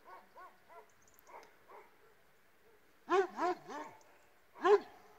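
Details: Illyrian Shepherd and Presa Canario mix dogs: a few soft, distant barks at first, then three loud, close barks with falling pitch and one more after a pause.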